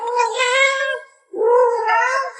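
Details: Pet cat indoors giving two long, drawn-out meows, the first steady and the second slightly rising, with a brief gap between them.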